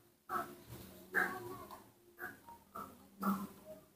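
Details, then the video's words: Hungry newborn baby monkey, hand-reared at home and just awake, gives soft short squeaky cries, about four in a row with brief pauses, quiet room behind. "Very hu ng ry when I woke up, the sweet voice of a newborn baby monkey was heard again"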